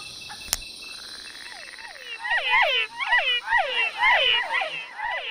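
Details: At night in Ecuador's tropical forest, a chorus of male frogs gives overlapping, downward-sliding, twangy calls repeated rapidly, a mating serenade to attract females of their own species.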